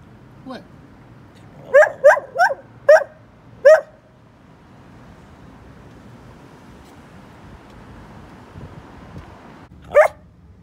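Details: A chatty Bedlington Whippet Lurcher, a young dog now grown up, utters a quick burst of five short yelping barks, then falls quiet before one last bark near the end, over low indoor hum.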